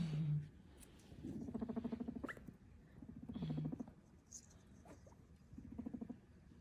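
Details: Pet guinea pig under a Christmas tree, popcorning and pushing toys around, gives low buzzy rumbling bursts with pulsed harmonic bands, each lasting about a second, repeated three or four times across the clip; quiet background.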